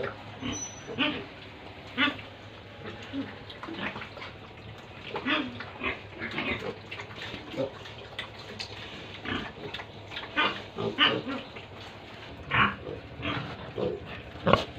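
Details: Grunting from pigs and piglets at a Tripura pig farm: clipped, noisy snorts spaced about one per second, occasionally sharper squeaks, over a low constant hum.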